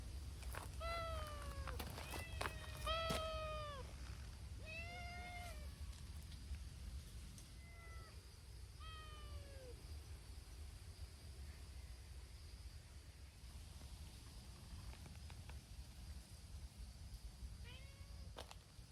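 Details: Several community cats, including brown-tabby-and-white Hime's team, meow noisily at an outdoor cat gathering tended by volunteers. Overlapping drawn-out, arching meows crowd the first ten seconds, then sparse calls over steady low background rumble.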